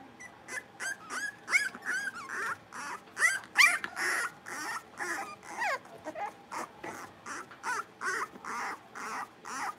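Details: A litter of five blenheim Cavalier King Charles Spaniel puppies at play in an indoor pen. Rapid, high yips and squeaky whines repeat about every half second, steady and excited, over almost ten seconds.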